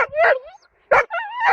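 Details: Young Belgian Malinois Jano od Argalasov, five and a half months old, whining in two thin, rising and wavering tones, separated by short bursts of a person's voice calling to him.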